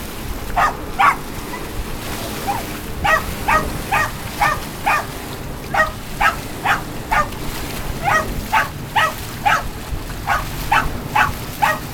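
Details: Charlie the Puggle, a pet dog, making lots of noise while chocolate retrievers jump from a dock after a dish brush: sharp, high barks in quick bursts, roughly two a second, over a steady rain-like hiss.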